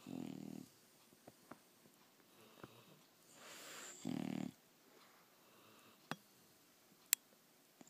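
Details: English Bulldog snoring in its sleep: two rough, rumbling snore bursts a few seconds apart, a soft hissing breath between, and faint clicks in a quiet room.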